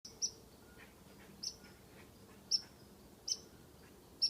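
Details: A squirrel in a tree, teasing a cat, gives sharp, high whistled chips spaced about a second apart.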